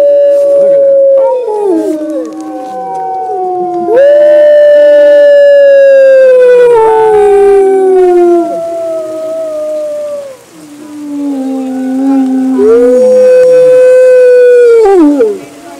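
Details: Several gray wolves at a wolf and wildlife center in Colorado howl together at a full-moon feeding on November 17, 2013, long sliding tones overlapping in a rising and falling chorus.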